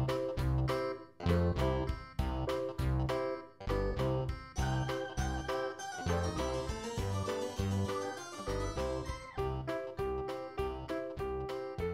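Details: Light plucked keyboard music with bouncing bass notes and a playful melody plays throughout, with no animal sounds.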